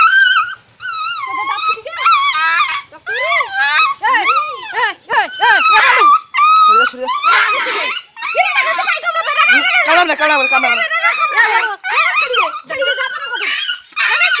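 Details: Puppies fighting indoors: a loud run of high, bending yelps and whimpers, short squeals sweeping up and down in quick succession with brief gaps, while people talk excitedly in Bengali.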